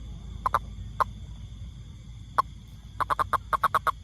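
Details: Toad, tagged rainfrog, giving short knocking croaks, first a few spaced single notes, then a quick run of about eight evenly spaced pulses, with a low background rumble and faint steady hum.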